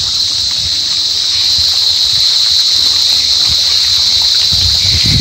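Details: Gryllidae cricket giving a steady, piercing high-pitched continuous trill, unchanging in pitch, over soft low background rumble.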